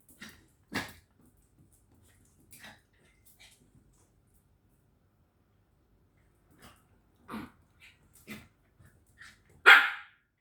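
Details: Dog barking at home, one of two pets, Candy, an Indonesian village dog, and Angel, a corgi, shown playing around the house; short sharp barks spaced irregularly across the clip, the loudest near the end, with quiet gaps between.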